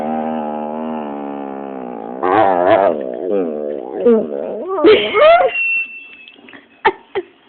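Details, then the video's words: Dropsik, a pet Pit Bull, 'talks' while being scolded indoors: a steady, strongly harmonic whine for two seconds, then wavering, rising-and-falling yelps and whimpers, ending in two short sharp yips. "mówiący pies Dropsik funny talking dog pitbull"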